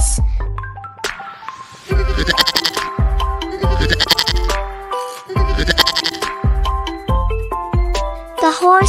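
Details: Goat bleating, played for children learning animal sounds: repeated harsh, quavering bleats in short bursts, one roughly every two seconds, over loud upbeat background music.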